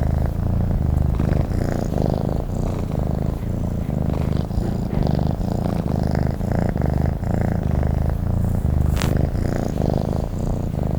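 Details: Purring from a sleeping house cat: a low, vibrating drone that swells and dips with each breath at a steady pace, with one brief faint click near the end.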